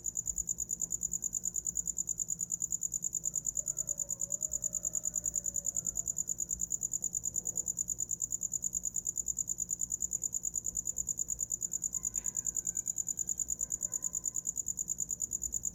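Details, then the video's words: Cricket song for sleeping: a continuous shrill pulsing at roughly three beats per second, very regular throughout, with a few faint distant whistly sounds behind it. "Som de grilo para dormir"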